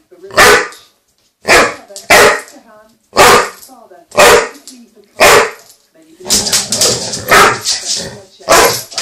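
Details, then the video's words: Ben, a chocolate Labrador Retriever, barks loudly indoors, upset after losing his toy under the sofa: six sharp, harsh barks spaced about a second apart, then barking mixed with overlapping human voices. "Ben my chocolate lab goes mental"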